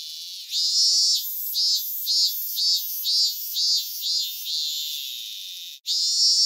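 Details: Shrill cicada song recorded in Japan, a run of about nine strident pulsed bursts roughly two per second over a background hiss, ending in a brief gap and a renewed loud buzz.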